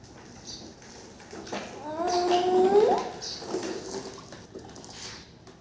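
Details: Goat uttering one drawn-out bleat lasting about a second, fairly level before rising sharply at its end, set among soft indoor noises and faint hissing before and after.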